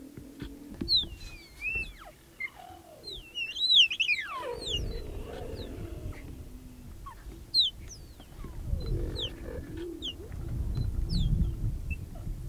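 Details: Wild cheetahs in Kenya's Olare Motorogi Conservancy, a mother with three cubs welcoming a young male intruder: high, bird-like chirps sweeping up and down, some in quick runs, over a steady low hum and rumbling background.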